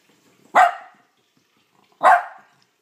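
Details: Sophie, a pet dog, gives two sharp single barks about one and a half seconds apart, each short and bright with a quick fading tail, in an otherwise quiet room.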